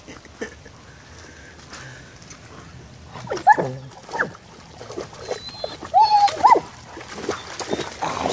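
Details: German Shepherd Génie romping in puddles of water, letting out a few high yelping barks, one early and a double bark later, over splashing and faint talk.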